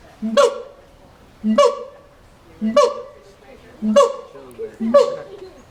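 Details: Monkey in a cage at the LA zoo making funny sounds: five loud calls about every 1.2 seconds, each opening with a short low tone that jumps into a harsh, honking, harmonic note with a sharp breathy burst.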